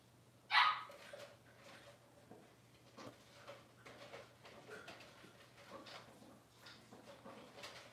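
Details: Six-week-old Cavalier King Charles Spaniel puppies in a puppy pen during deworming and toenail trimming: one sharp, high yelp bursts out early, followed by softer scattered whines and small vocal noises over a low steady hum.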